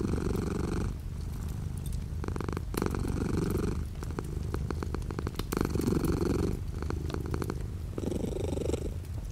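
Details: Domestic cat purring indoors while light rain falls outside the window: a steady low rumble with louder breathy swells every couple of seconds, overlaid by scattered sharp ticks of raindrops.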